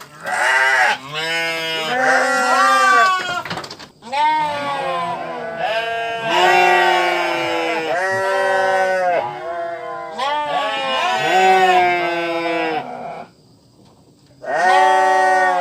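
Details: Sheep bleating almost without pause, with a run of long, nasal, wavering cries that rise and fall, and a brief quiet spell near the end before one more bleat.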